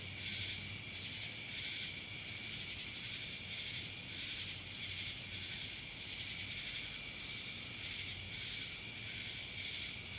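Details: Chorus of cicadas recorded in Dallas, Georgia, a continuous piercing whine underneath pulsing waves of rasping buzz that rise and fall roughly once a second.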